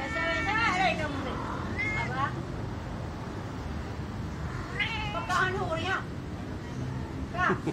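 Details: Angora cat mating with a village cat, recorded by chance while passing a house; drawn-out, wavering yowls at the start, near two seconds and again around five to six seconds, over steady background noise.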